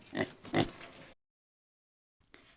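A pig gives two short, rough, nasal grunts in quick succession, then falls quiet.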